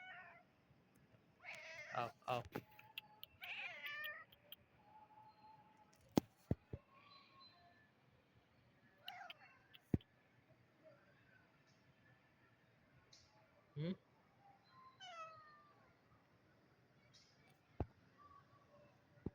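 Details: Kitten making a run of quick, squeaky meows early on, then scattered softer chirps and meows mixed with sharp knocks and taps in a small room.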